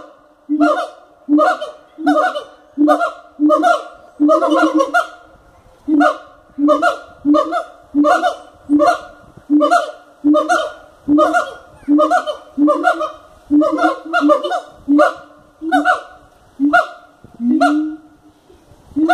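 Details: Siamangs in captivity at Cotswold Wildlife Park give a long, steady series of loud nasal barks, roughly eighty per minute, in a fairly even rhythm with occasional doubled notes.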